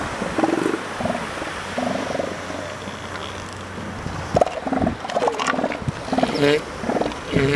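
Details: Northern elephant seals on the California and Oregon coast, molting adults and pups, giving short harmonic, nasal bursts in uneven groups, some low and grunting, others higher and honking, with steady background rumble.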